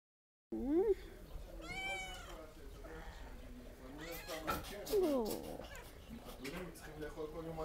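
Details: Cats at an animal welfare shelter in Jerusalem, Israel, that neuters and returns street cats; several rising and falling meows with bright harmonics, a strained drawn-out cry near the middle, and a person talking softly indoors.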